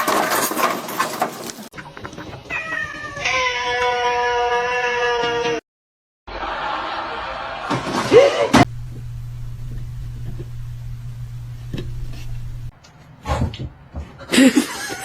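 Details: Domestic cat in a funny pets meme compilation: one long, drawn-out meow with a rising then steady tone mid-clip, set among abrupt edits, a sharp slam-like knock, a low steady hum and other short noises.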